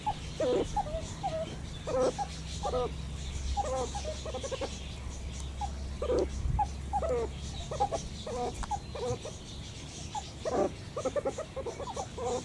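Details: Group of meerkats calling with a long series of short chirps and bent, wavering peeps, some stacked and buzzy, roughly one to two per second over a constant low drone.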